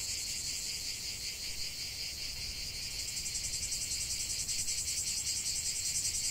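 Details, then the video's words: Cicada song in a lavender field: a continuous, shrill, high buzzing chorus with a fast, even pulsing throb, steady in loudness throughout, with no other clear sounds. "chant de CIGALES au cœur d'un champ de lavande"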